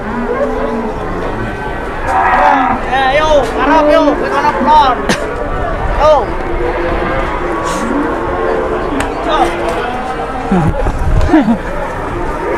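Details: Cattle, one of two cows being pranked by their keepers at an Indonesian farm, lowing in drawn-out harmonic moos that bend up and down across about twelve seconds, with people talking and laughing close by.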